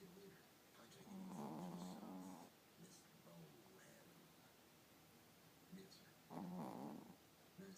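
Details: Sleeping Chihuahua puppy snoring, drawn-out low grating snores near one and a half and six and a half seconds, softer rhythmic breaths in between, otherwise quiet room.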